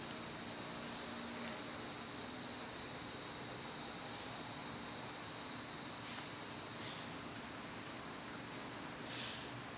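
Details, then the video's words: Cicadas in summer: a steady, high, hissing drone holds unbroken through the whole stretch, with a few faint brief chirps and a low hum beneath. "Cicada sounds"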